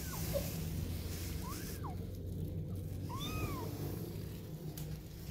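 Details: Kittens waiting for their mother cat give two clear meows, each arching up then down with bright overtones, about a second and a half apart, over a steady low rumble of background noise.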